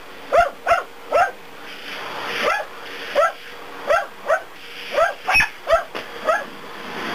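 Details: Two dachshunds at home barking at a vacuum cleaner during daily cleaning, making a fuss yet running away. About a dozen short, sharp barks come singly and in pairs, with a steady mechanical hum from the running vacuum beneath.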